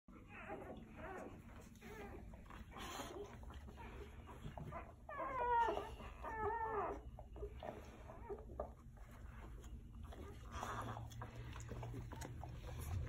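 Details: Day-old Golden Retriever puppies from Quinn's litter, kept under a heat lamp. Midway through come a few harmonic, wavering squeals that rise and fall, each about a second long. Soft rustling and a steady low hum run underneath.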